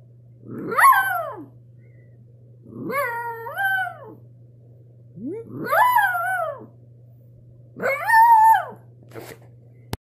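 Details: Pet dog howling indoors: four separate long, bending howls spaced about two seconds apart, each rising then sliding down, over a constant low electrical hum.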